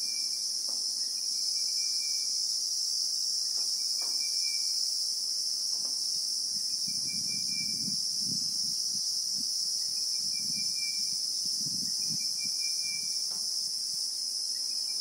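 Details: Bushveld in South Africa, with Christmas beetles (Anoplognathus) producing an unbroken, piercing high buzz throughout. Short faint whistled tones recur underneath, and a patch of soft low rustling and thumps appears in the second half.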